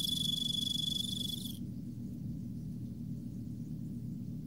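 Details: Emma field cricket (Teleogryllus emma) in autumn sings a clear, high, pulsing trill that stops abruptly, leaving a low rumble; the pair later mates, the female mounting the male.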